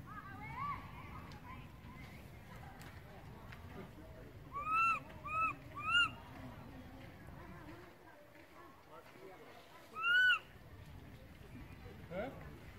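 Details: Baby monkey left behind by its mother, crying loudly: a quick series of three short arched wails, then a pause and a fourth louder wail, heard against a steady murmur of background voices and noise.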